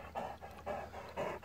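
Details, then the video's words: Struggling Great Dane, apparently called Otis, worn out and panting: soft, breathy puffs repeated roughly every half second in a steady in-out rhythm. "Struggling Great Dane"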